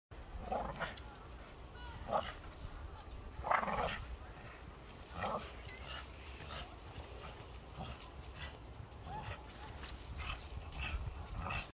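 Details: A Staffordshire Bull Terrier, eager to get a tree down, gives short bursts of whining barks, with a person's voice in the background.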